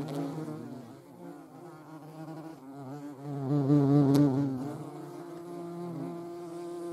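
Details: European hornet, filmed during nature observations in the Eifel, Germany: a deep, harmonic flight buzz that wavers in pitch and swells loudest around the middle as the insect passes close.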